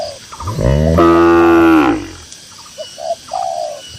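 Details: A tame cow among grazing cattle in a cool green pasture gives one full, low moo lasting about a second and a half. Brief soft cooing notes follow in the quiet countryside background.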